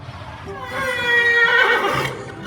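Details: A horse, Chip, gives a loud, distraught whinny, very upset that his friend isn't in his stall.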